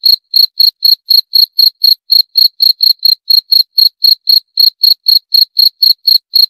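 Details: Cricket chirping steadily, about four pulsed chirps per second, each a clean high tone with a fainter overtone far above, evenly spaced against a silent background.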